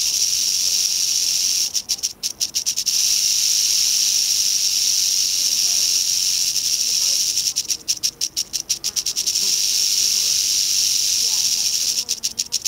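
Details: Western rattlesnake met on the East Molera trail, Andrew Molera State Park, near Big Sur, California, on August 15, 2010: a steady, loud, hissing high buzz runs throughout, with brief flutters near two and eight seconds.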